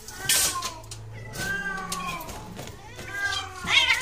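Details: Domestic cat in a mating situation, producing long wavering meows with bending harmonics, overlapped by low steady hum and some voice-like sounds and sharp noise bursts.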